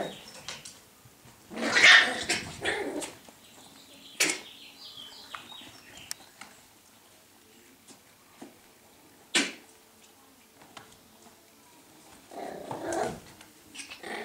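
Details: Scottish Terrier puppies indoors giving short, high, noisy yaps and barks in scattered bursts, one loud cluster near the start, sharp single yelps later, and a rougher burst toward the end, with quiet pauses between.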